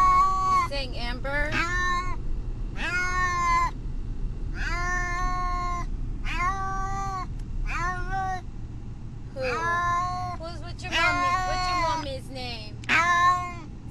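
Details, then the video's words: Brutus the Beefcake, a cat upset on a car trip to the vet, cries in a long run of loud wavering meows, many drawn out and wailing, said to sound like his owner's name, over low road rumble. "Brutus the Beefcake....the talking cat!"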